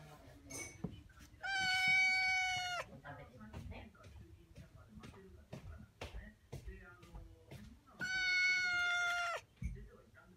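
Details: A house cat calls insistently through a glass barrier, wanting to reach her brother outdoors. Two loud, sustained, slightly falling meows about six seconds apart, with quiet human speech and small household noises in between.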